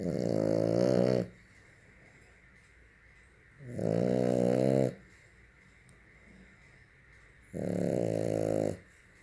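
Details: Snoring French bulldog with three loud, rattling, vibrating snores of about a second each, separated by quiet pauses of roughly three seconds, the rough drone sitting low and rich in harmonics.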